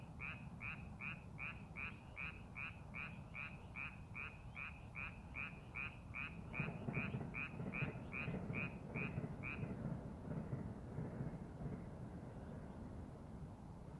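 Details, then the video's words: Frog in rice paddies readied for farming gives a fast run of short, rasping croaks, roughly two and a half per second, that stops after about ten seconds, leaving steady low rumbling noise that grows louder. "농사준비하는 논에서 개구리 울음소리"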